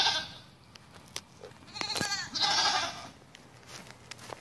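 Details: Bishi goats from a herd of nineteen, one giving a loud, rough, harmonic bleat lasting under a second in the middle, with scattered clicks and faint background noise around it.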